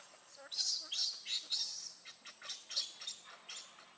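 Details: Baby monkey named Lucie, very hungry for milk, crying: a run of shrill, high-pitched squealing bursts, about three a second, uneven in loudness, with faint background noise.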